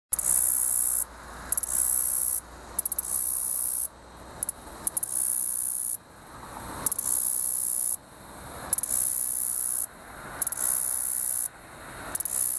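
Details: A male black-legged meadow katydid (Orchelimum nigripes) stridulates at Hidden Lake Forest Preserve, Downers Grove, Illinois, on 29 September 2014, singing very high, hissing buzzes broken by brief runs of ticks, a courtship song.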